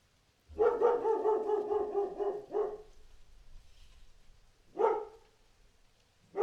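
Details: A dog gives a long, drawn-out, harmonic bark lasting about two seconds, then, after a short quiet gap, a single sharp bark, with another bark starting right at the end.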